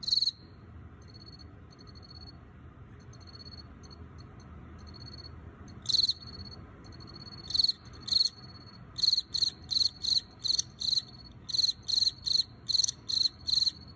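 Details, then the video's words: Field cricket male (Teleogryllus, perhaps T. occipitalis) collected from the wild and kept in an earthenware jar: soft faint pulses at first, then loud high chirps building into a fast, steady run of repeated bursts. "油葫芦在陶罐里鸣叫 Field Cricket (Teleogryllus) chirping in jar"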